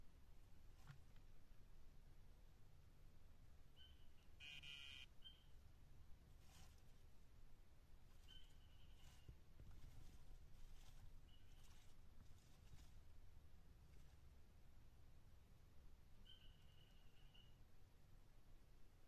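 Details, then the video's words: Dyeing poison dart frog of the tumucumaque form, Dendrobates tinctorius, calling: faint, short buzzy trills repeat about four times across nineteen seconds, spaced several seconds apart, over a steady low rumble. "Dendrobates tinctorius tumucumaque calling"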